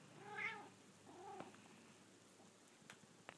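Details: Female house cat meowing on waking up indoors: one clear arched meow followed by a softer, shorter second meow, then quiet room noise with a few faint clicks.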